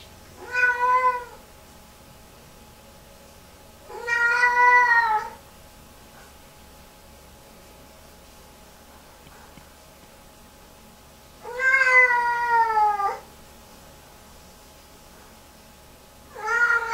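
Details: Indoors, a Lynx Point Siamese cat upset after a bath lets out four loud, long wailing meows spaced several seconds apart over seventeen seconds, each strained and harmonic-rich, the third bending upward, with quiet room hum between.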